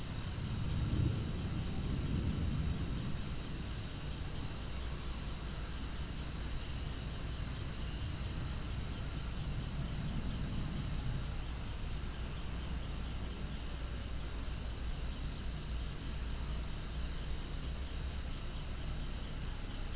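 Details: Cicadas calling loudly beside gently swaying flowers outdoors; a steady, unbroken high-pitched drone fills the whole stretch, layered over a low rumbling background such as a passing airplane.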